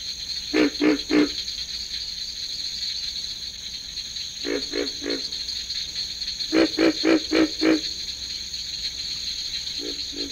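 Pig frogs grunt in low, piglike bursts of three to five notes in a breeding chorus.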